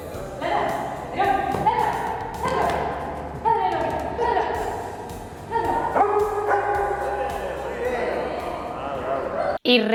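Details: Nerón, a Doberman in training, barks in response to the spoken command 'ladra' and is praised; short repeated barks come in bursts, mixed with a trainer's encouraging Spanish speech and a thump near the end.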